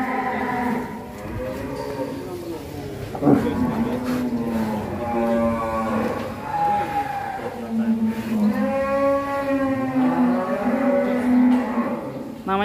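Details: A one-ton bull, raging and breaking free of its pen in Indonesia, bellows a series of drawn-out, rising and falling moos, several in a row with short breaths between, over faint background noise.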